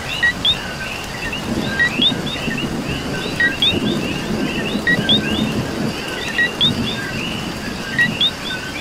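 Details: Puerto Rican coqui in rain gives rapid two-part whistles, a short lower note followed by a sharp rising one, over and over. Several frogs overlap in a continuous chorus while rain patters beneath.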